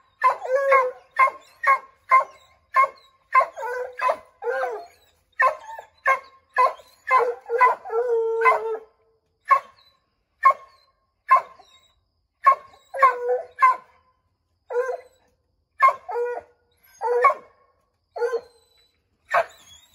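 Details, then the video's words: Several Redbone Coonhounds, Bo, Luke, Lulu, Cooter and Jesse, treeing a chipmunk in an oak tree; a rapid series of sharp barks about every half second, mixed with short drawn-out baying howls, loud and close. "Redbone Coonhounds Tree a Chipmunk"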